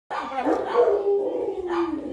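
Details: Rottweiler puppy in West Bengal, India, giving a drawn-out wavering whine that slides downward over about two seconds, with a brief rise near the end.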